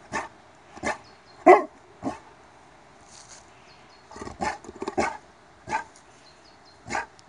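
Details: Cane Corso (Italian mastiff) being trained to bark on the command 'laut': a series of short, sharp barks, some single and some in quick pairs, spaced irregularly over several seconds, with faint high squeaky tones in between.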